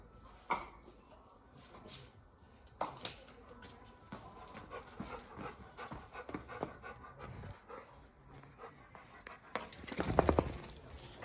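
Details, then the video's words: Labrador Retriever drinking water and obeying commands in a calm ASMR session; steady dog panting broken by sharp wet lapping bursts near the start, around three seconds and strongest near the end, with a faint human voice nearby. "Терапія лабрадором. ASMR: собака п’є воду та слухається"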